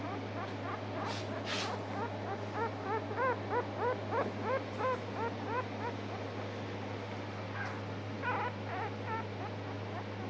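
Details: Two apricot Miniature Poodle pups, males from a September 10 litter, giving a run of soft, high, arching whimpers and yips in quick succession for a few seconds, then a second short burst later, over a steady low electrical hum.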